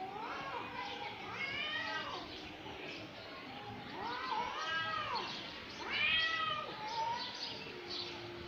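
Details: Two cats fighting; drawn-out wailing yowls that rise and fall in long arches, overlapping and trading back and forth, growing louder near the end before a lower steady moan.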